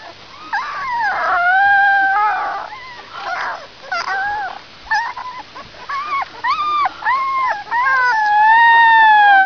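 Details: A gray wolf (Canis lupus) pup howls in high, wavering tones, broken into short yips before longer sliding notes.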